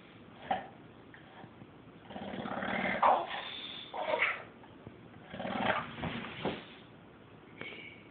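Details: Male Victorian bulldog talking with his owner: a run of low, throaty grumbles and drawn-out moaning vocal sounds that rise and fall over several seconds, with short pauses between bursts.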